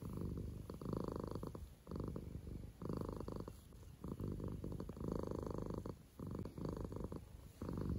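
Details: Mouse, a pet cat, purring after trying sprats for the first time; loud rumbling purr in long bursts of about a second, broken by short pauses as she breathes, steady and low.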